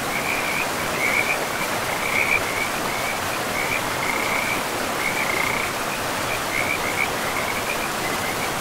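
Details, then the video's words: Chorus of frogs beside a forest river: bright, fast pulsed trills repeat in bursts every second or so, layered over loud, even river noise in a pristine, mossy woodland. "River and Frogs sleep sounds"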